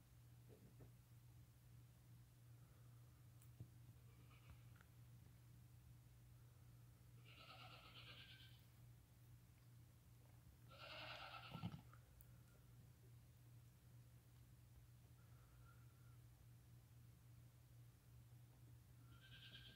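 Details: Lambs born the same day, less than five hours old, crying while walking and nursing beside their mother; three brief, thin bleats at irregular intervals against a constant low electrical-sounding drone.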